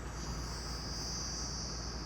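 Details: Crickets give a steady, high, shimmering trill over the low rumble of a moving vehicle on a forest-edge road by a small village near Nagarahole Tiger Reserve, India, on a lightly misty morning.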